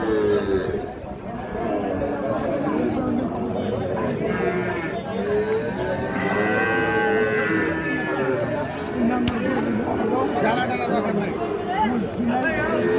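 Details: Sahiwal cattle at a busy market in Parbatipur, Dinajpur, Bangladesh, giving repeated deep moos from several animals across the recording, backed by constant crowd noise and men discussing prices.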